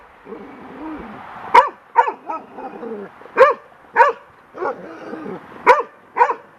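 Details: Golden retriever as a young dog, frightened by a wind-blown bird feather on a deck and attacking it, gives strong single barks about every half second to second between low growly whines, with a person's encouragement audible.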